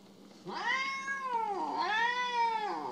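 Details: Pet cat named Mo, said to be jealous and sulking indoors, gives two drawn-out, arching meows, each rising then falling, about a second apart, with a faint low hum underneath.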